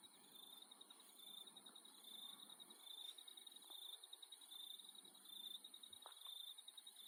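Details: Insects calling at night in Australia: a continuous shrill, high-pitched trilling chorus in two steady bands, with a pulsing beat of about one per second and a few faint low clicks underneath.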